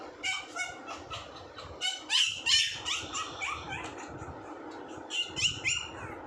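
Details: Puppy giving high, thin squeaky whimpers in quick uneven bursts, roughly three per second, with brief pauses between runs and a faint low background hum.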